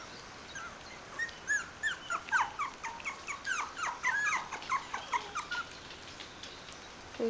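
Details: Several Bichon Frisé puppies, four weeks and five days old, from one kennel litter, squeaking and whimpering together in overlapping short high yelps and chirps, busy through the middle and thinning toward the end.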